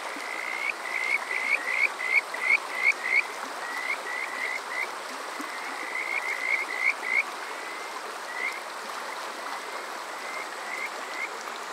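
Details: Kajika frog singing during a summer night at Water Park Shirayama, Yokoze, Chichibu, Saitama, Japan, captured with a TASCAM DR-05X: loud, clear series of rising chirped whistles about three per second, fading into softer, spaced notes, with rushing water throughout.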